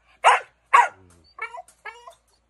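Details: American Bully dog: two strong, harsh barks close together, followed by two softer, higher yelping barks.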